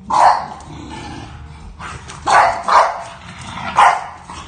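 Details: Bulldog puppy Archie, setting boundaries with new sister Olivia, gives one loud gruff bark, a pause with low murmuring, then three more hoarse barks in quick succession near the end.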